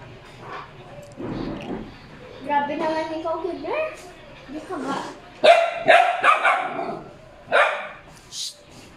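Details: Two Border Collies, Kuki and Keebler, playfully courting at home: wavering, rising whines and yelps in the first half, then a quick burst of sharp barks, over background voices.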